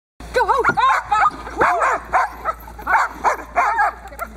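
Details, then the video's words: Boxer working dog named Diesel during protection training with bite work on a table, barking in a rapid series of loud, harmonic barks that rise and fall in pitch, several per second, with a steady background hum. "Diesel v. Ons Hullekke boxer protection 3e x op tafel pakwerk"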